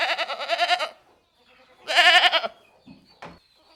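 A goat gives two loud, wavering bleats, each shaky and nasal with a quavering tremble.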